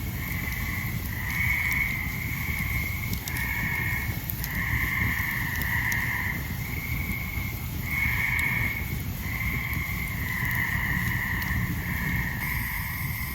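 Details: Tree frogs call loudly all around a forest campfire near Ricketts Glen on a summer evening, giving steady, nasal trilled notes in close succession over the crackle and hiss of the fire.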